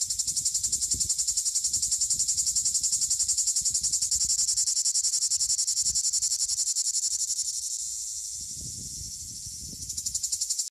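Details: A Plebeian cicada (Lyristes plebejus) drones with a loud, high, buzzing hiss that runs unbroken and is finely pulsed throughout.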